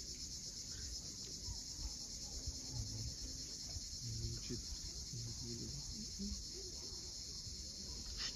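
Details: At sunset by the sea at Cape Fiolent, Crimea, cicadas sustain an unbroken shrill buzzing wash, with waves rumbling low and a few short, faint chirping notes near the end.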